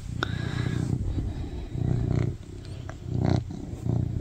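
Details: Male tuxedo cat, an attention-seeker, purring loudly while cuddling on its owner's lap indoors; deep, rumbling low purr in pulsing bursts, with a few soft clicks and brief rustles between them.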